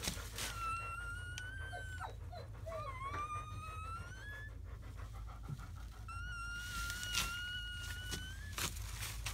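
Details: Newborn German Shepherd puppies from a litter of seven born May 7–8, 2017, in their first hours; long, thin, high whining cries, slightly rising, in a few drawn-out bursts with brief squeaks between, over a steady background hum.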